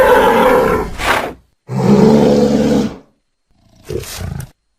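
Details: Angry bull in a pasture giving loud, harsh, roaring bellows, two long ones over a second each, followed by a quieter, shorter grunting call.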